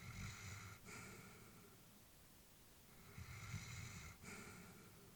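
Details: Aged Labrador Retriever, a female, dozing at home; two slow breaths heard, a gentle snore-like rumble and breathy release, separated by a quiet pause of a couple of seconds.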